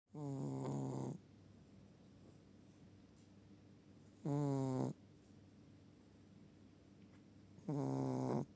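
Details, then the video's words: Sleeping Chihuahua snoring: three low, buzzy, drawn-out snores, each about half a second to a second long, spaced roughly three to four seconds apart, with a quiet steady background between them. "Чихуахуа = храпуны"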